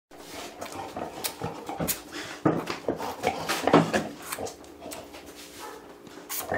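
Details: Nine-day-old Labrador Retriever puppies give soft squeaks, whimpers and snuffling grunts in a small room.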